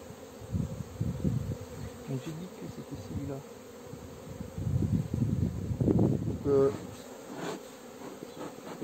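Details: Western honey bees at an apiary during a 4 April 2021 hive inspection of freshly laid frames hum in a low, uneven drone that swells and fades as they fly close. The beekeeper's rooster crows near the end.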